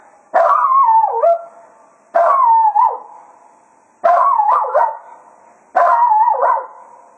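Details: Cato, a Jack Russell Terrier at Quail Roost, bids farewell to the hounds at the end of a day of foxhunting: four wavering, yodel-like howls of about a second each, repeated roughly every two seconds over a faint steady tone.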